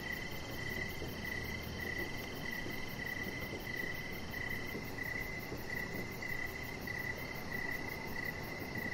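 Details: Evening crickets near a backyard deck give bright, even chirps about one and a half times a second over a broad low murmur of background noise.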